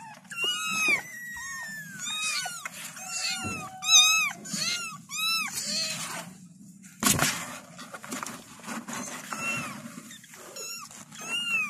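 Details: Kittens call their mother with a busy chorus of thin, high meows, short arched notes crowding together early, then sparser cries over a steady low hum and a sharp rustle midway.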